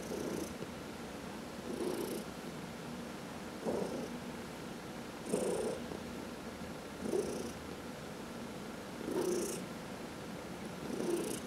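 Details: Massaged domestic cat, one of four, purring indoors; low continuous rumble pulsing with each breath, around six breathy swells spaced nearly two seconds apart.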